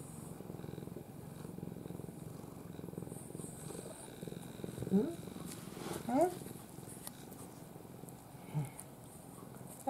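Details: Ai, a pampered former stray cat, sleeps in her owner's arms and purrs in a soft, low, steady rumble. A person's voice cuts in briefly over the purring.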